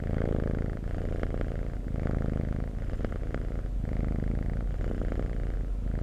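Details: Close, low purring from a cat, a constant rough rumble with slight rises and dips and several small sharp ticks along the way.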